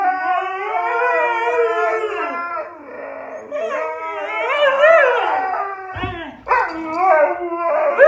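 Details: Siberian Husky producing a wavering, mournful howl that rises and falls in pitch. Talkative, bending vocal phrases follow with uneven rhythm. A short thump of handling noise sounds near the end.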